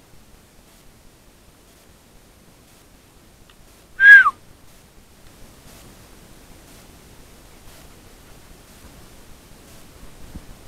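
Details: Open fields are quiet apart from faint rustling and a single short, sharp whistle that falls in pitch near the middle, with no animal calls.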